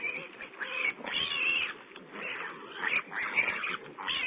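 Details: Wild boar piglets feeding, filmed by a wildlife camera on 16 April 2010: shrill, wavering squeals in overlapping bursts of about half a second, several animals calling at once over a steady background hiss.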